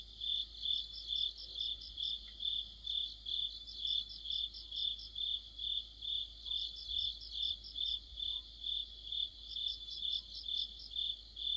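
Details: Autumn chorus of crickets and other insects by a streetlight: a regular high chirp about twice a second, joined in bursts by a second, quicker chirping singer, with faint low rumble beneath.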